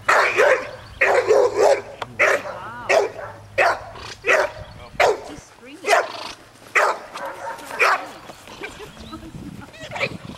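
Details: A 9-month-old American Bulldog in training on June 24, 2007, barks in a steady run of short, harsh bursts roughly every three-quarters of a second, about a dozen in all, with faint voices between them.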